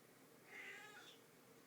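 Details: Hungry female domestic cat asking to be fed indoors, giving a single soft meow that rises and falls for about half a second, with a quiet room in the background.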